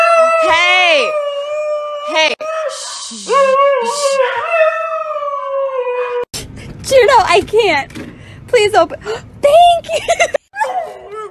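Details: Siberian Husky acting the drama queen, giving long wavering howl-like vocalisations with bending pitch over the first six seconds, followed by a choppy mix of human speech and short dog sounds.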